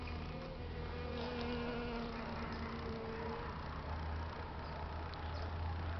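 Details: European honey bees visiting flowers on a beautiful day in San Diego, California, USA; a steady low droning hum with layered overtones swells for about two and a half seconds, then fades into a constant low rumble.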